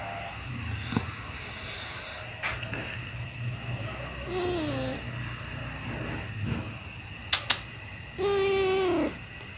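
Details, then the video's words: Pet cat during kitten feeding: a soft, falling mew midway, a few sharp clicks, then a loud, sustained, slightly wavering meow near the end over a constant low hum. "My pet Cat | kitten feeding"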